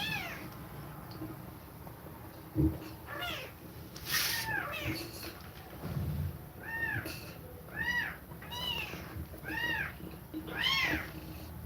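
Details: Nursing mother cat breathing fast as she feeds milk to her kittens; a run of short arched meows, roughly one per second in the second half, over low background rumble and rustling.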